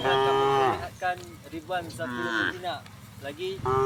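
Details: Tame cattle of a herd walking toward green fields in the morning: a loud, drawn-out moo opens the recording, followed by shorter, broken lowing notes and another moo rising at the end.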